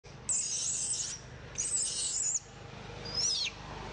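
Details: Baby monkey Moonpie, wild near Angkor Wat, cries while being groomed by Maddie in the rain: two long, shrill, very high squeals of almost a second each, then a shorter squeal that rises and falls, over a steady hiss.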